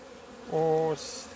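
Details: A single honey bee passing close on 17 February 2020 as the colony emerges into sunshine after two months. A loud, low buzz with stacked harmonics lasts about half a second, then fades into the softer hum of other bees.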